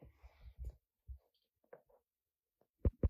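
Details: Quiet indoor room with soft thumps, taps and a few faint murmured voices; no animal voice is heard.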